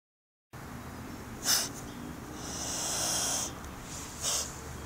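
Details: Indonesian blue-tongued skink named Zergling, a pet placed outside on grass, which he hates, giving a threat display: short breathy hisses, one sharp burst early and another near the end, with a longer soft rushing breath between.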